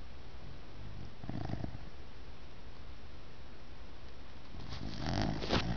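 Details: Hannah, a six-month-old puppy, asleep and snoring indoors: two soft, rasping breaths, one around the first second and a louder, longer one near the end, over a low steady room hum.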